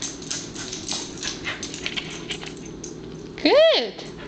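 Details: Pembroke Welsh Corgi wearing an insect-shield dog T-shirt gives one short rising-and-falling whine-yip near the end, after a stretch of faint background chatter and indoor noise.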